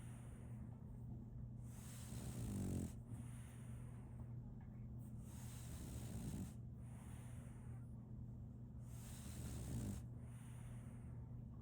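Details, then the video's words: Sleeping French Bulldog puppy Solaimy snores in rhythmic, airy rattling breaths roughly every three seconds, each swelling then easing off, with a constant quiet low-pitched hum underneath. "RONQUIDO de un French Bulldog"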